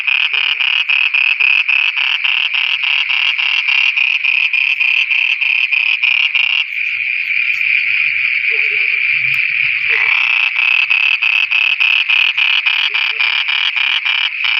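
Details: Frogs singing after dark in Pakistan: quick repeated buzzy croaks, a continuous droning trill lasting several seconds, then the fast pulsed rhythm again, with a few short lower notes from other frogs.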